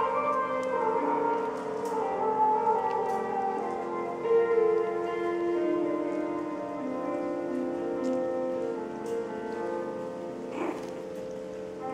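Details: Sustained orchestral music with brass-like tones plays throughout at an even level, and no animal sound comes through.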